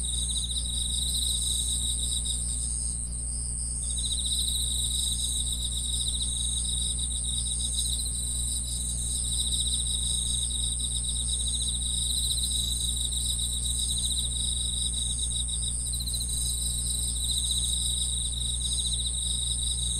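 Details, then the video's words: Continuous chirping of many insects: rapid, regular pulsed trills and a steady high-pitched ring, one trill pausing briefly early on, low drone in the background. "풀벌레 소리"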